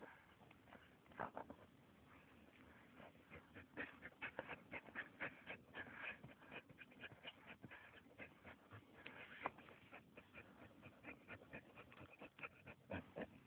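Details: Max, a Samoyed, digging for mice outdoors: rapid, breathy puffs and scratchy clicks at about four per second, uneven in rhythm, over thirteen seconds, with a faint low hum beneath.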